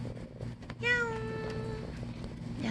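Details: Stray domestic cat at a feeding spot making an unusual sound: a single clear, drawn-out meow of about one second that starts bright and slowly falls in pitch, with a low hum and faint human voices around it.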